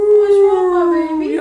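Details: A female wolfdog nursing her new wolf-hybrid pups gives a long, steady howl that slides slowly lower and lifts at the very end; she dislikes being left alone with the pups.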